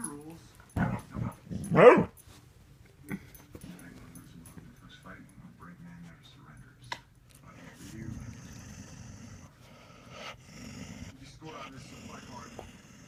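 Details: Pet dog Kylie, upset that another dog, April, wants to get on the bed; a few sharp loud barks early on, then soft low whimpers and grumbles with quiet indoor background.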